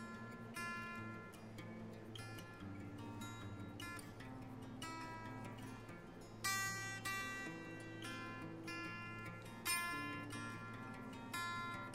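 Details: Acoustic guitar music with plucked, strummed strings and steady chords, sharper accents near six and a half and ten seconds; no animal voices.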